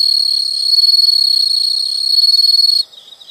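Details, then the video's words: Continuous high insect trill, calming nature sound, holding steady and pulsing rapidly before cutting off abruptly near the end, leaving fainter chirps. "the sound of insects"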